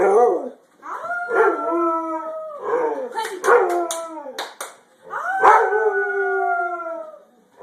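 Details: A white Labrador Retriever howls in long, wavering tones as people sing the birthday song.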